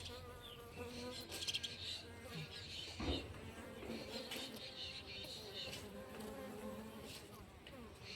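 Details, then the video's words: Morning buzzing of honey bees, a dense droning hum layered with bending tonal whines as individual bees fly close, with a brief louder thump near the middle. "Good Morning 🌄 Bee Sound 🐝"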